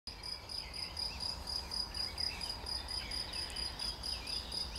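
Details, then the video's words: Cricket recorded on 11 June 2020, a steady high-pitched pulsed chirping trill running without pause, with a fainter higher overtone band and quiet background noise. "Świerszcz i Kukułka"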